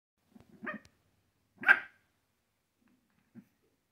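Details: A 10-week-old Boston Terrier puppy meeting and playing with its older French Bulldog brother gives a couple of short, sharp, high puppy barks separated by pauses.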